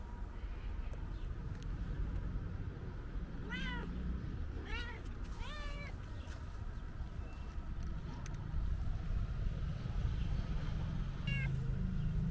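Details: Calico cat meowing loudly, as if wanting to tell its owner something: four rising-falling harmonic meows, three close together near the middle and one later, over a steady low rumble of background noise.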